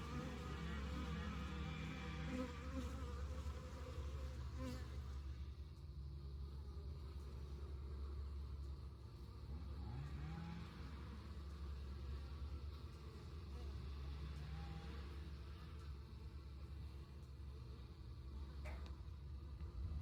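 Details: A continuous low hum from honey bees at an insulated long Langstroth hive entrance in South East Texas, with individual bees' buzzes swelling and fading as they pass, and a single sharp tick near the end.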